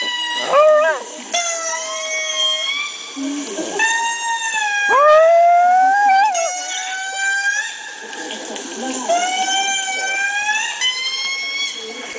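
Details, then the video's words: Pet Chihuahua indoors howling in response to lemur calls played on a laptop; long wavering, siren-like tones that rise and fall in several drawn-out phrases, mixed with the recorded lemur calls. "Chihuahua Howling at Lemurs Calling"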